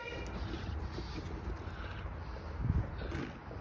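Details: Low outdoor rumble of traffic fills the recording, with a faint horn-like tone and no animal calls.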